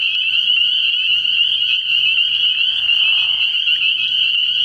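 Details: Spring peepers calling from a frog pond at night early in the year: a dense, unbroken chorus of high, shrill peeps merging into one steady ringing band, with a brief lower burring sound near the three-second mark.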